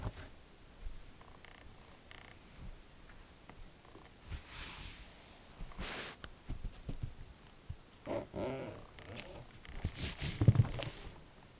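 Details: A two-month-old Ragdoll kitten purring, dated 09/05/2015; a deep, throbbing rumble runs throughout, interrupted by scattered rustles and brief breathy noises near the end.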